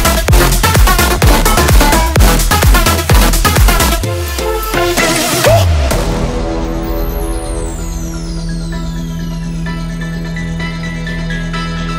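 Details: Loud electronic dance music with a steady driving beat that breaks down into a sustained synth wash.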